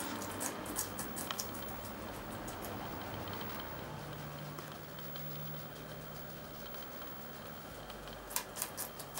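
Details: Two guinea pigs, Poopie (agouti) and Nacho (white and brown), sharing red pepper: crisp crunching clicks in a short burst at the start and again near the end, with a low steady hum of room noise between.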